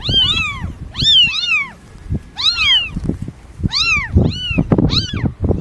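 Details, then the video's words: Newborn kittens give rapid, high, rising-then-falling mews, often paired, about one each second, over a background of soft thumps and handling noise. "Cute Newborn KITTENS MEOWING Baby Kitten Meowing Sound Effect"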